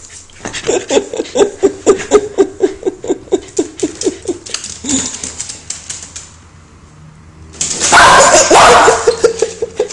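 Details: Indoors, a steady train of short, laughter-like pulses for about five seconds gives way to a loud, prolonged harsh bark burst from a female Welsh Corgi that dislikes lighters.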